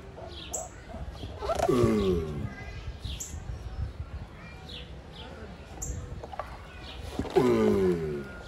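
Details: Giant tortoises mating: two loud, hoarse, falling groans with layered overtones, about five seconds apart, with small bird chirps and twitters in the background.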